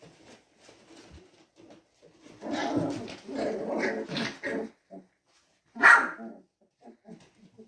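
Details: Newborn mixed-breed Labrador/retriever puppies (Teddy retrievers) cry in thin, whiny squeals, with a sharper yelp near the end; recorded in their first days.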